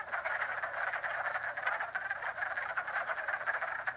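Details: Springtime pond near Jackson, NY, with a crowd of frogs producing continuous rapid ratcheting trills that overlap into a dense, even chorus.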